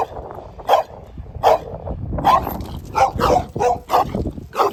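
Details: Dog giving sharp single barks, first spaced apart then quickening into a run of closely repeated barks, with low rumbling noise beneath.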